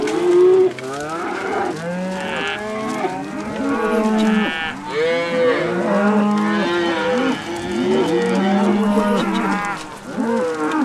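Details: Cattle lowing in a dense chorus, many overlapping moos, some rising then falling, others long and level, with a short higher bleat near the start; no other clear sounds.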